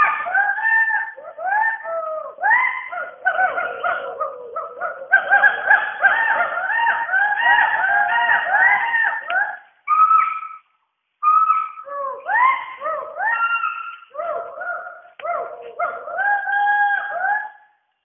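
Western hoolock gibbons call in a continuous bout of loud, wavering hoots, each note rising and falling in pitch. Several voices seem to overlap in a rhythmic, almost chanting series with brief pauses.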